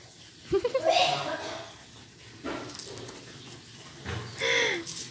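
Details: Two domestic cats, one orange village cat, trade short, tonal yowls with rising then falling pitch during a fight.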